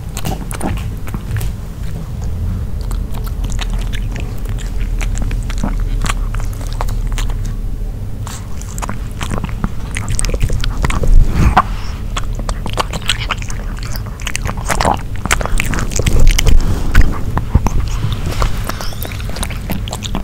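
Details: Dog chewing grilled pork at close range in a small room: steady crunching bites and wet smacking roughly three times a second, louder bursts toward the end, with no speech.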